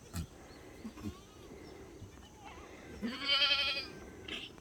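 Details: Black goat on a farm in Gimhae, South Korea: one loud, wavering, nasal bleat about a second long near the end, with rich stacked harmonics, after faint scattered background noises and a quiet outdoor hum.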